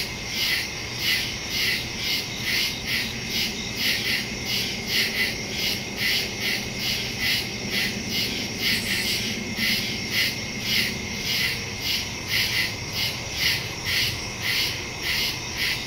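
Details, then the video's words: A chorus of crickets in the woods at night, September 2, 2023, phone recording with a Shure MV88+ mic; rapid high chirps pulsing steadily, layered callers, a soft low drone underneath. "Crickets in the woods at night"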